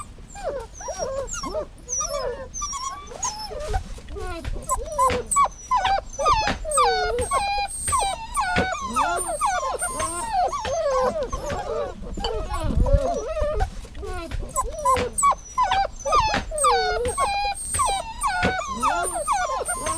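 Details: Steady dog whining, many short squeaky whimpers in rapid succession, each a brief rising-then-falling whine, interrupted by clicks and soft thumps, with a low rumble near the middle.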